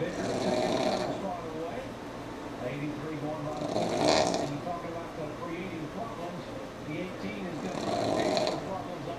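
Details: Sammi the pug sleeping while NASCAR plays: loud, breathy snores rising and fading about every four seconds, three in a row, with a talking broadcast murmuring underneath.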